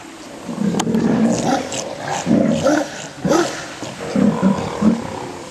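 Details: Sea lions at Pumalin, Patagonia, giving low, gravelly growls and grunts in short bursts, about six pulses over five seconds, over a steady background of colony noise.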